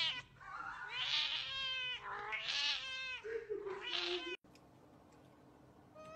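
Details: Cat from a funny meowing compilation calling three drawn-out, rising-then-falling meows, each about a second long with rich bright harmonics, followed by quiet room noise.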